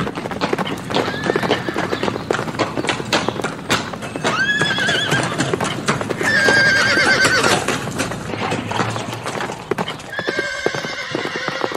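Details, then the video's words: Horses neighing while galloping in nature: steady rapid hoofbeats carry several quavering whinnies, one rising sharply, a longer shaky neigh in the middle, and a final sustained call at the end. "Sounds of horses in nature (neighing + galloping)"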